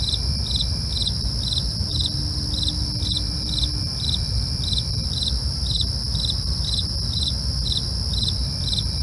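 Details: Crickets calling after dark, evenly spaced high chirps roughly twice a second above continuous ringing insect tones, with faint low hum underneath.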